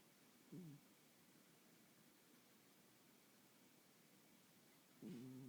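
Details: Sleeping domestic cat snoring indoors: two short, low, nasal snore bursts, one near the start and one at the end, separated by about four seconds of quiet room hiss.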